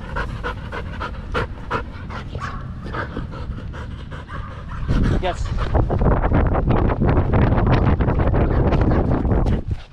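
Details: Danny, a Belgian Malinois in the Philippines, pants hard during a game of fetch: quick breathy huffs at about three per second, growing louder after the midpoint, with a person talking alongside.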